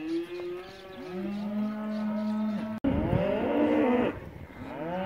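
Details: Angus calves near 200 kg, twenty-five males and twenty-five females, penned before a year-end auction in Junín; a loud sustained low moo followed by a harsher, higher bawl, other calves calling close by.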